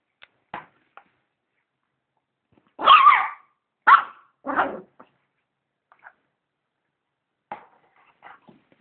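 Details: Dog barking at a vacuum cleaner, with a few quiet yips, then three loud harsh barks about a second apart, then scattered faint whimpers and yips; no other sounds.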